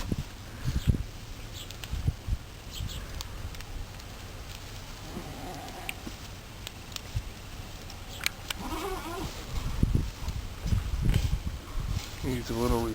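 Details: Farm goats at Blue Goat Farm on a hot day, bleating intermittently: after a long quiet stretch of shuffling and knocks, a short wavering bleat rises past the midpoint, with a second trembling bleat closing the recording.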